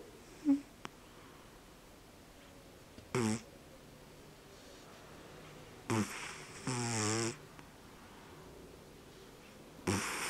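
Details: Sleeping cat snoring loudly, a harsh broadband rasp roughly every three seconds, one longer drawn-out snore with a buzzing, rippling quality, between quiet pauses of faint room hiss.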